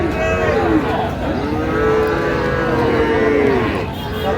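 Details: Sahiwal cattle at a Gazipur sale of bull calves, 8/5/25, Bangladesh: several long, harmonic lowing calls, rising and falling and running almost back to back, with men haggling over prices in the background.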